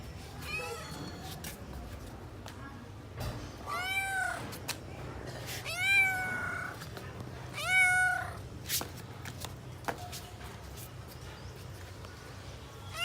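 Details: At home, a hungry young kitten calls while searching for its parent cats, making four clear meows spaced about two seconds apart, each swelling and bending downward, plus a few soft clicks and low room hum.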